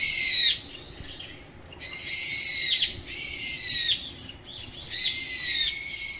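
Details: Stray mother cat Nureongi, described as cowardly, calls in three clear, long meows about a second each, every cry high and steady with a slight downward bend at its close, separated by short pauses.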